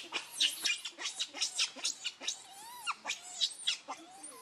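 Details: Hungry baby monkey Leo crying and begging its mother for milk: short, high, squeaky harmonic cries pulsing about four times a second, broken by a few gliding whistled wails.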